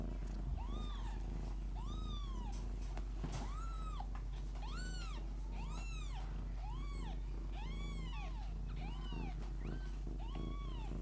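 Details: Lykoi mother cat purring the whole time beside her litter: a constant low purr runs underneath a series of arched kitten mews, about eight of them, repeating roughly once a second.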